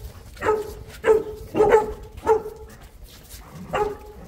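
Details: Boerboel, or South African Mastiff, kept in Egypt, giving a series of short, deep barks, about six spaced roughly half a second to a second apart, with a brief pause before the last.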